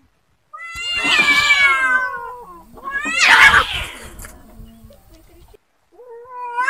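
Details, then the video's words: Angry street cats fighting: two loud, rising, harmonic yowls with a rough, strained edge, each lasting about a second, separated by a quieter gap, with another yowl beginning at the end. "Real Cat Fight Angry Cats Vs Cats Аngry Compilation Video Ever| cats and Cats Fight|Watch With Sound"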